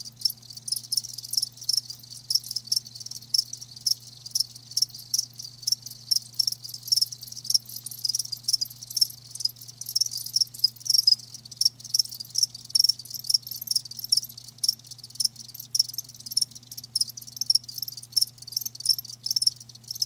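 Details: Chorus of live crickets, many shrill high chirps in quick irregular bursts overlapping throughout, set against a constant low electrical-sounding hum.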